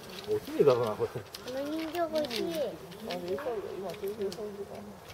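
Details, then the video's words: Captive North American porcupine crying at Saitama Children's Zoo, Japan, in March 2017; quavering nasal moans that bend up and down, with a brief higher trill near the start, then a steady series of wobbling whines. "カナダヤマアラシの鳴き声 Crying Canadian porcupine"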